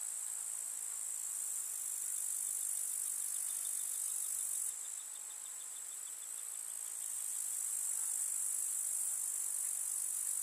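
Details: Countryside meadow among summer wildflowers, with grasshoppers filling the air with a constant sizzling high-pitched trill that briefly fades in the middle before swelling back, faint ticking notes scattered beneath.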